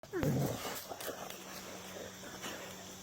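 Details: A bulldog chewing on a rock gives one brief, wavering, turkey-like gobble that falls in pitch, then only low room noise and a faint voice remain.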